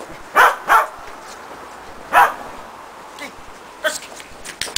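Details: A Shetland Sheepdog named Preston gives a quick pair of sharp barks, then a single bark about a second and a half later, while training running contacts over a box and jump grid in agility. Faint taps follow.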